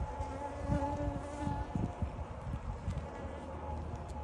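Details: Honey bees flying in and out of their hive, a steady low droning buzz with a faint higher hum, continuous throughout with slight swells.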